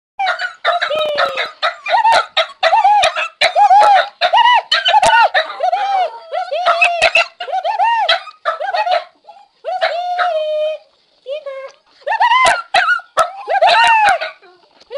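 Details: Frankie, a pet dog, howling excitedly on seeing someone: rapid series of short arched yelping howls in bursts, harmonics stacked high, with brief pauses and clicking knocks between phrases.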